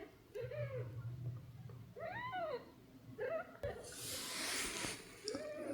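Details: Sleepy baby kittens; four short arched mews rise and fall, with a soft hum underneath and a burst of breathy hiss in the middle.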